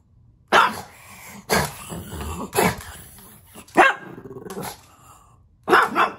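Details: Bowser the pug barking at puppies playing on the television: five sharp, loud barks spaced about a second apart, each followed by a softer rough tail, with quiet gaps between.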